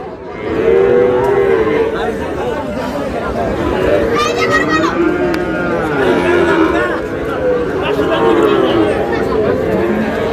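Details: Sahiwal bull calves at a Bangladeshi cattle market in Mymensingh, 7 July: drawn-out, wavering moos that rise and fall, repeated over a steady hubbub of crowd chatter and voices.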